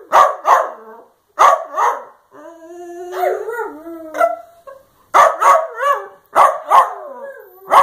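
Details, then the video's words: Dachshund's 'love you' vocalising: pairs of sharp barks, then a long wavering howl that rises and falls over a couple of seconds, followed by further paired barks; quiet background. "Dachshund love yous' are the best"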